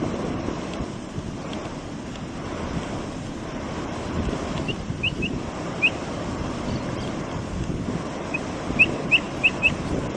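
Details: Short squeaky rising chirps from a Brazilian capybara while it eats, a few scattered in the middle and a quick series of four toward the end, set against continuous rushing wind-like noise.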